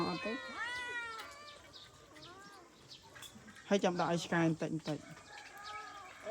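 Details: Abandoned domestic cats calling with drawn-out, wavering meows, the strongest near the start, then a burst of people speaking loudly over a faint background hum.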